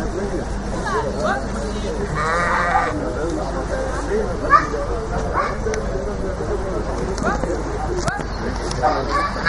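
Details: Flock of sheep being moved out of the pen, giving scattered bleats, one strong quavering bleat near the third second and shorter ones later, mixed with people speaking German, footsteps and constant low rumble.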